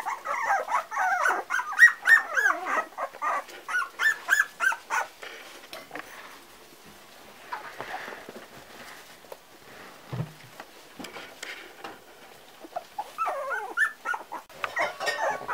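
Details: Parson Russell Terrier puppies at four weeks old yelp and whimper in a rapid cluster at first, fall mostly quiet through the middle with scattered faint squeaks, then resume whining near the end.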